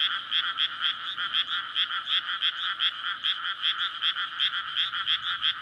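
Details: Night chorus of many frogs in a water-filled paddy field in May, a courtship gathering before egg laying near a road; rapid rasping croaks overlap in an unbroken, evenly throbbing texture with quiet low background.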